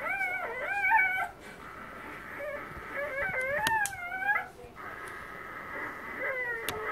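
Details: A 3-day-old female Siberian husky puppy, loud while feeding as her littermates sleep, gives high, wavering squeals and whimpers in short, uneven bursts.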